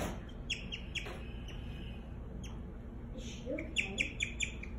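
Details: A female guinea pig chirps in a rapid, uneven series of thin, high, bird-like notes, sometimes clustered, over a low hum; the owner wonders whether she is scared and speaks briefly near the end.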